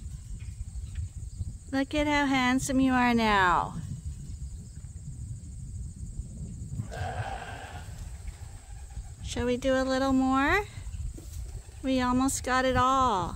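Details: Rams Gladiator and Leonard at Ewetopia Farms, a large registered Suffolk and Poll Dorset sheep farm, give three bouts of loud, quavering bleats, each lasting one to two seconds and sliding downward at the end, over a low rumbling background.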